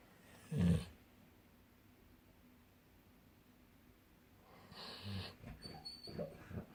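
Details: Sleeping golden retrievers dreaming: one short, deep, rasping snore near the start, then quiet, then a run of soft, irregular snuffly breaths and faint whimper-like noises toward the end.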